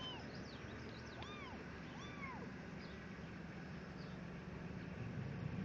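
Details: Abandoned kittens taken outside give a few high, thin mews, each a short arched rise and fall, three clear ones plus fainter calls over about five seconds, set against a steady low rumble.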